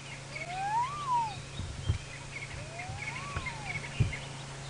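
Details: A young spotted hyena cub at its den in Sabi Sand, South Africa, on a cloudy, overcast early morning of July 11, 2017, gives thin, squeaky whoops like a squeaky toy, each a smooth rise and fall about two seconds apart.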